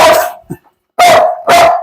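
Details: Biting dog kept at home barks while visitors try to enter the house: one loud harsh bark, a brief low sound, a pause, then two more strong barks about half a second apart.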